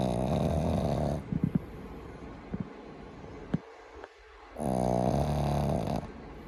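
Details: Maru, a Boston Terrier puppy kept as a family pet, snoring loudly while sleeping contentedly: a long harsh snore, a few small snorts and breaths, then another strong rasping snore.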